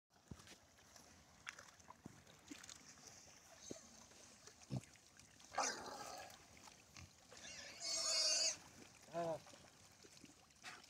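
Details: A grazing wild boar gives brief rough grunts, then a loud, high, wavering squeal and a shorter one after it, with scattered clicks and rustles between calls.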